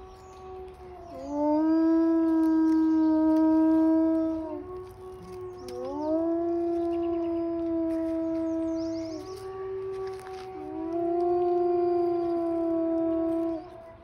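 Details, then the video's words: Zoo gray wolves in Billings, Montana, USA, howling for onlookers in May 2021; three long sustained howls, each rising at the start then holding a steady pitch for about three seconds, with faint higher voices in the background. "Grey Wolves Sing for Onlookers"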